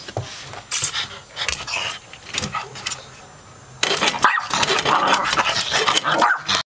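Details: Little pet dog going crazy over the mail, letting out a run of sharp barks and growls, sparse at first, then a dense, loud, rapid volley in the last three seconds, with a woman talking.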